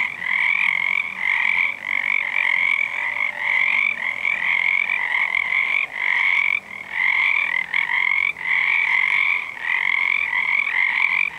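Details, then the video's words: Many frogs, believed to be Pacific tree frogs, calling together on a February 2011 full moon night, forming a steady overlapping chorus of raspy croaks that swells and pauses briefly around six and eight seconds. "Full Moon Sauna night froggies"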